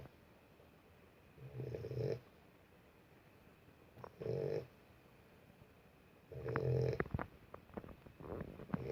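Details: Sleeping Boxer puppy gives three slow, low snoring breaths spaced about two and a half seconds apart, the last followed by brief rustling noises.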